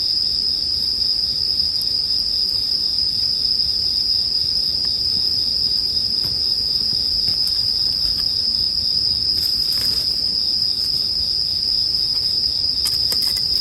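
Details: Bell crickets sustain a bright, unwavering high trill for the whole stretch, while sparse campfire crackles tick now and then, a small cluster of pops near ten seconds and again at the end.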